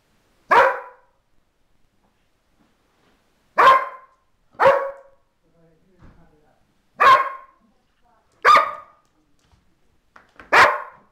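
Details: Domestic dog barking in greeting as her mistress returns after a week in hospital: six short, forceful barks at uneven intervals, some closely paired, with quiet gaps between.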